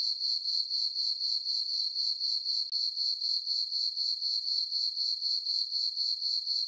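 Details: Night chorus of crickets in a farm meadow beneath a full moon and dark sky: a bright, high tinkling trill throbbing regularly about four times each second, with a brief dip midway.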